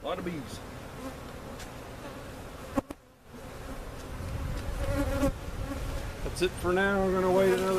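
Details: Honey bees removed in a hive cutout, being relocated to their permanent spot at Jerome Bee Farm, Central Oklahoma: a continuous low hum that drops out briefly, then returns, with a human voice joining near the end.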